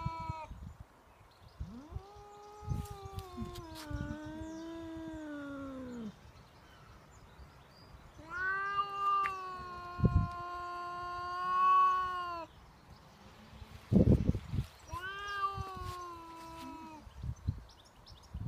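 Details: Outdoor standoff between a cat and a neighbour's cat intruding on his territory: long, wavering, rising-and-falling yowls of several seconds each, three main bouts, with scuffling thumps and rustles between them.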